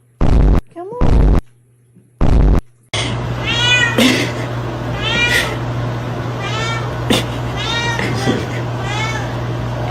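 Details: Domestic cat from a cute pet compilation meowing over and over, short arched meows about once a second. A steady low hum runs underneath, and a few loud thumps come first.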